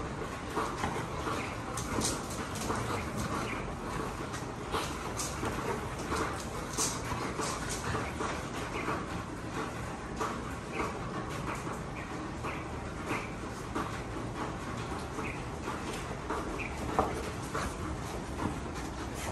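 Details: Two Golden Retrievers in excessive rough play, about to be broken up: a steady stream of low, rough scuffling and growl-like rumbling, broken by frequent sharp clicks and brief higher yelps throughout.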